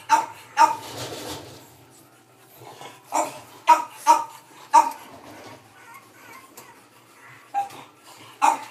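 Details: Boston Terrier puppy born on May 3, sleeping soundly indoors, gives short, high squeaky whimpers in irregular bursts, several close together, then quiet gaps between faint breathy rustles.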